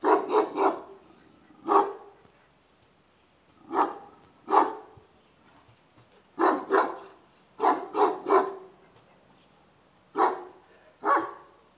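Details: Kangal dog barking at a distance: deep, gruff barks in bursts of one to three, about fourteen in total, with pauses of one to two seconds between groups in an otherwise quiet setting.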